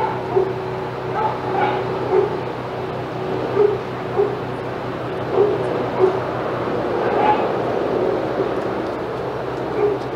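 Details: At Old Friends Senior Dog Sanctuary, dogs in the outside yard bark excitedly while Titus walks past; separate sharp barks come roughly every second or two, with a steady background hum.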